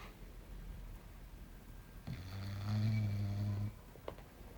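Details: Belchior, a small English Bulldog, sleeping and snoring indoors: a single deep, vibrating snore of about a second and a half, low harmonic rumble, then quiet breathing and a faint click.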